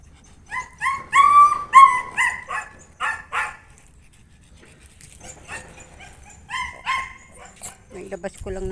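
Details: Noisy Aspin indoors, one of two dogs the owner means to take out: loud clustered yelping barks, a pause, another short volley, then a person talking at the end.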